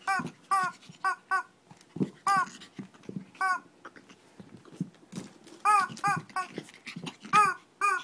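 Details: Shih Tzu in a mini fight in Kochi, Japan: rapid bursts of short, high, harmonic yips and squeals, often in pairs, with low grumbling growls between them.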